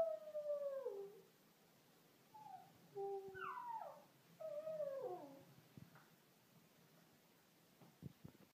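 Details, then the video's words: Lhasa Apso singing with a long falling howl, followed by several shorter quavering, rising-and-falling howls. After about five and a half seconds it goes quiet, with only faint clicks and knocks at the end. "Lhasa Apso singing"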